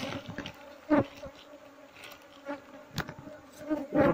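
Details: Colony of Asian honey bees in a hollow tree trunk in Indonesia, about to be moved by a beekeeper: a steady low hum throughout, broken by loud knocks and thuds of work on the wood and occasional voices.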